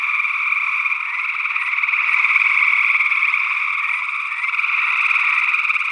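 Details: Gray tree frog calls in Northwest Wisconsin, early June 2022, captured with a matched pair of SE Electronics sE8 condensers in ORTF into a Tascam DR-60D II: a dense, unbroken chorus of rapid buzzy trills at mid-high pitch, steady throughout.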